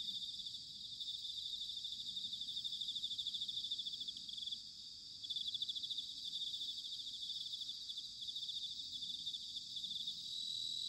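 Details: Bell crickets in autumn, recorded in Sanuki, Chiba, Japan: a steady, shimmering high chorus of many insects trilling together without pause, dipping briefly in the middle and then swelling back.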